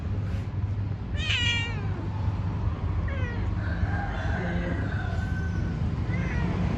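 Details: Pet cat during its daily activity, giving one clear harmonic meow with a wavering, slightly falling pitch, then softer short mews, over a steady low hum of traffic or engine noise.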